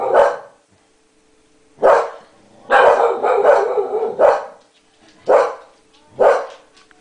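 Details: An English Cocker Spaniel barks at its owner in reaction to a sneeze, giving sharp, loud barks singly and in a quick cluster with short pauses, while another cocker tries to chase it off.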